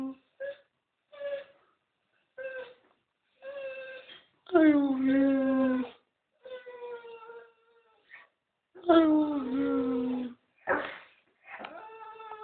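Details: Tyson, a lively Staffordshire Bull Terrier kept indoors, 'saying I love you': a series of short yips and longer drawn-out, wavering harmonic moans, some rising then falling, spaced irregularly with pauses between.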